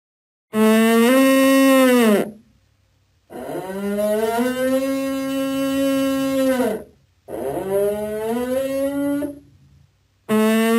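An elk gives long, deep, droning bellows, each swelling slightly then sagging at the end.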